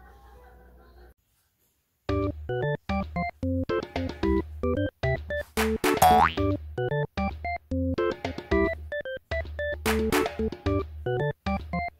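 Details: Bright keyboard music with bouncy boing effects and plopping toy-like notes in a steady, playful rhythm after a short quiet start; no animal voice stands out.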